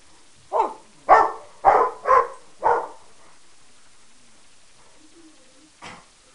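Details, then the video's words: Pet dogs, a Peke mix, a Rottweiler and a Mastiff/Pitbull cross, trade barks: five quick barks about half a second apart, a pause of nearly three seconds, then a single softer bark near the end. "Dogs Barking at One Another"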